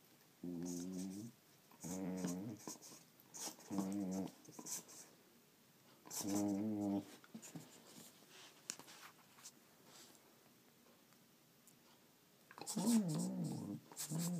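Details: Female Border Collie playing with her toy indoors, giving odd noises: four short warbling whines in the first seven seconds, then quieter rustling and scratching, and a final rising-falling whine near the end.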